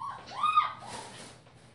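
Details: German Shepherd puppy, female, five weeks old, purple collar: one short rising-then-falling tonal whine, followed by a softer breathy whimper.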